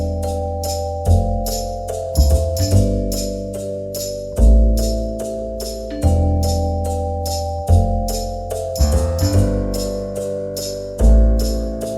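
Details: Loud keyboard and percussion music with sustained organ-like chords and repeated drum hits fills the recording; no animal sound is audible.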